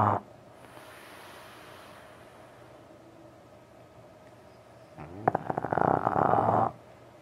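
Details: French Bulldog sleeping late at night, snoring: long quiet stretches of faint breathing, then one loud rattling, throaty snore lasting about a second and a half near the end.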